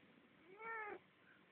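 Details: House cat kept from sleeping by the heater late at night, filmed on a phone. A short, clear meow of about a third of a second, slightly rising then cut off, followed by quiet room noise.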